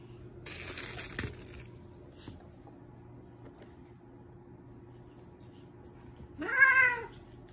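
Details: A pet cat in a Korean household that keeps sixteen cats and a dog. A soft room hum and a brief rustle come first, then near the end one clear, drawn-out meow that rises and falls.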